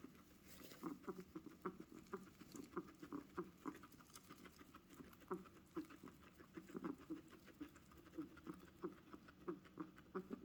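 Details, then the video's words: Guinea pig's unusual sounds: a steady run of soft, low putt-putt pulses repeated quickly for the whole stretch, gentle and close, with light background hiss. "Strange guineapig noises"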